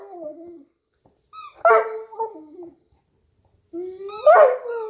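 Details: A Newfoundland named Hugo, sprawled on a couch with his squeaky toy, makes a low wavering moan, then two louder yowling grumbles after a pause, each topped by a thin high toy squeak.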